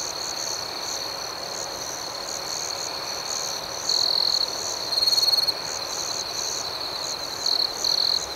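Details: Night chorus of crickets, a soothing nocturnal ambience: a steady high-pitched trilling band runs throughout, with a few louder, closer trills swelling for about half a second each and a fainter pulsing chorus above.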